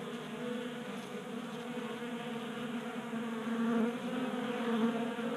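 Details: Honey bees burning winter fat stores during late heat in Colorado, visiting a tabletop feeder in a garage; a steady hum that grows louder in the second half as bees pass near.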